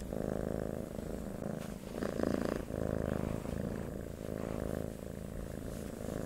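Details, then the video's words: Domestic cat purring, meant as a sleep sound; the pulsing low rumble runs continuously, louder phases rising and falling roughly every second, with one stronger swell near the middle. "Purring of a Cats"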